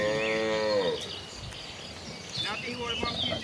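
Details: Tame village cattle in a herd walking to the rice fields to graze, one lowing a harmonic moo that slides downward and fades within a second, followed by bird chirps and rustling in the countryside.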